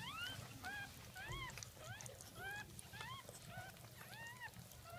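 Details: Newborn Jack Russell Terrier puppies from a second litter, recorded at 5:35 am on 17 October 2014 during the birth: high, arched squeaks rising then falling, repeated in quick irregular bursts, with soft background hum.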